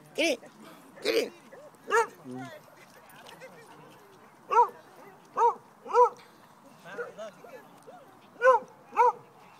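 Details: Pao the dog running and barking at other dogs at a favorite Pasadena park with big brother Teddy; a string of about a dozen ringing, tonal barks in uneven bursts, with people's voices urging the dogs on.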